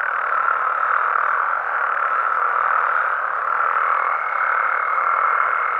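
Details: Frogs and toads in Mexico calling through the night, a continuous mass of mid-pitched croaking with a faint higher tone entering in the second half, loudness dipping briefly then steadying; no other clear sounds.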